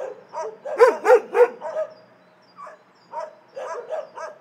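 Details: Shelter dogs bark; three loud, clipped barks come in quick succession near the start, followed by quieter, scattered barks from other dogs in the animal shelter.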